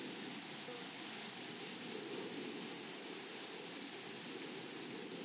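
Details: Meadow grasshoppers on a flowery prairie, a continuous high-pitched shrilling with rapid regular pulses, no pauses, and a faint low murmur beneath.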